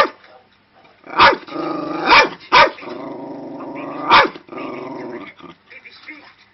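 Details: A female Cairn Terrier gives sharp, high barks between stretches of rough, harmonic growling, angered while watching a video of a dog.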